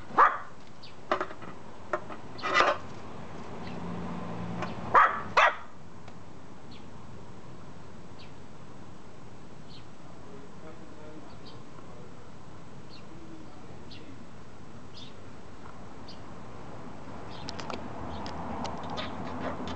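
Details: Mamesuke, a black mame Shiba Inu frightened of a slatted board, lets out a few scattered barks and yips early on, then falls quiet for a long stretch before faint rustling and a soft sound at the end.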